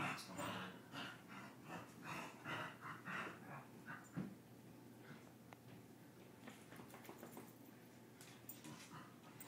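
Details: Play-fight between a dog and his brother; opening seconds hold a dense string of huffing growls and pants, then activity fades to quieter scuffling and occasional soft snorts.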